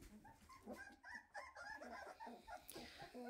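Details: Several 2.5-week-old Weimaraner puppies running after their mother, asking her to lie down with them after she checks their new blanket; many overlapping short, high squeaks and whimpers in quick succession.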